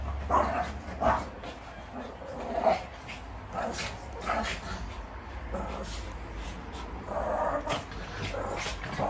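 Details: Barking Shih Tzu in a fighting rematch, giving irregular high yips and snarling barks in clusters, with people speaking throughout and some low rumbling background noise.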